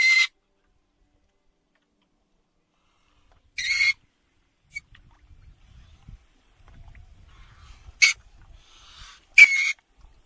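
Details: North American river otter screaming: short, harsh, high-pitched screeches heard in four bursts across ten seconds, two close together near the end, with faint low rustling between them.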